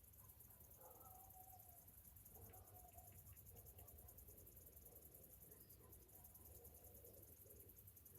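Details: Summer morning chorus of cicadas, a high shimmering pulsed drone held steady across the recording, while scattered short bird whistles and a low continuous hum sit underneath.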